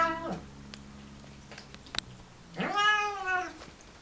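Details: Male Siamese cat eating and vocalizing at once. A single rising-then-falling harmonic meow lasts nearly a second after a quiet pause with faint clicks.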